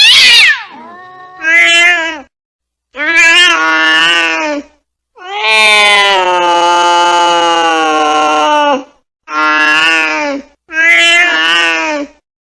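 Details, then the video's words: Angry domestic cat yowling in six drawn-out, harmonic-rich wails of one to four seconds each, steady and slightly wavering in pitch, the longest near the middle, with a sharp hiss-like burst at the start and silent gaps between. "Angry Cat Sound (Scary)"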